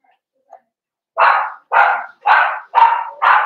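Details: During a socialization session where Cavalier King Charles Spaniel puppies meet bigger family dogs, a dog gives five evenly spaced, mid-pitched barks about half a second apart after a soft single yip; no other sounds.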